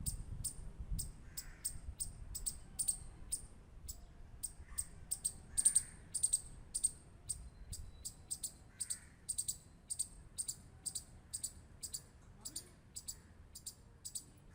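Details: A squirrel gives a steady run of crisp, bright clicks, several per second, over low background rumble. A few soft, higher chirping notes appear in between.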